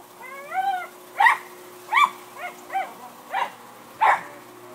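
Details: Three adopted Cairn Terriers, Bea, Neha and Zander, barking excitedly as they jockey for position in their trailer; a run of six high, whiny yips, each rising then falling, spaced about a second apart.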